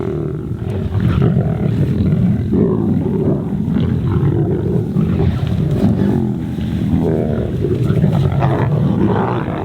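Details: Lions of the Kambula Pride fighting over an impala carcass while feeding, lashing out at each other: a dense, continuous low rumbling growl with harsh snarling bursts throughout, loud and close.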